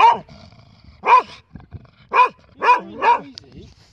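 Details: Ozzy the dog, impatient during a pause in a park walk, lets out five clipped barks at uneven intervals of roughly half a second to a second, each bright and harmonic, the last two close together.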